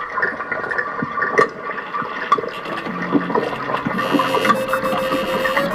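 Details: Rushing, gurgling water like a flush fills the clip, with no animal voice. A few faint tonal hums sit under the noise, but nothing stands out as a call.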